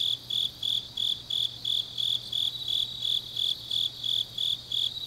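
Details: Autumn grass insects at night in Changnyeong, Korea, trilling in even, high-pitched bursts, roughly three per second, over a quiet background with a soft low drone.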